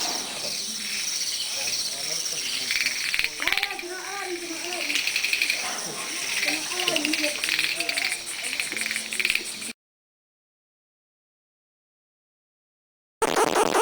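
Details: Unidentified, unseen insects calling: a dense, continuous high buzzing chorus with rapid pulsed chirps, some lower croak-like notes in the middle, then a sudden gap of silence before the buzzing resumes.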